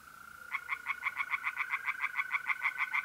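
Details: Tree frogs singing in a pond on an April night in north-east Italy: a fast series of rasping, pulsed croaks, about six per second, over the steady, even trill of mole crickets.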